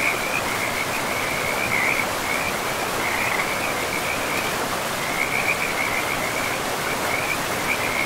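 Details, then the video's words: Forest river frogs give an unbroken high rattling trill that briefly thins around the middle, set against a dense, steady roar of flowing river water. "River and Frogs sleep sounds"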